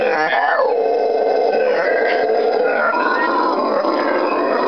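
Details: A pair of howler monkeys singing at a butterfly farm just outside Iquitos, Peru, on the Amazon River in June; loud, continuous roaring and howling with layered droning tones that hold steady throughout, calls that carry over a mile between groups.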